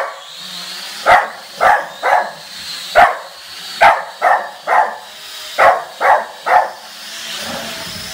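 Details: Barking dog confronting a drone: rapid clusters of two or three barks separated by short pauses, eleven barks in total, with a droning high whine that swells near the end.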